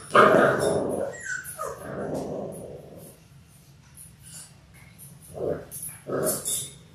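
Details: Labrador Retriever puppies in their sixth week, one of a litter of six born January 18, 2022. A loud yelp and whine open the clip, then a quieter stretch, then two short yips near the end.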